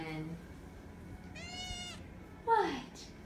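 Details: Nine-week-old foster kittens indoors: one short, high, harmonic-rich mew lasting about half a second, followed by a woman's voice.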